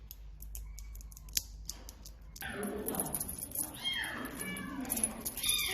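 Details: A kitten mews in thin, high, downward-sliding meows during the second half, preceded by quieter sounds and a steady high hiss throughout; human speech overlaps the calls.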